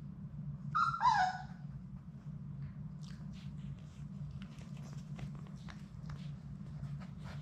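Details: Labrador Retriever puppies from Sadie's litter of six, playing indoors in their play room. A short, high, harmonic whimpering yelp rises and falls near the start. It is followed by soft scuffling, clicks and a steady low hum.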